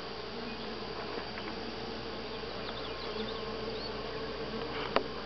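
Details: Honey bees at Grass Lake Sanctuary, week 6, July 25 2011, filling the air with a thick, constant buzz and a clear steady hum tone, with one sharp knock near the end.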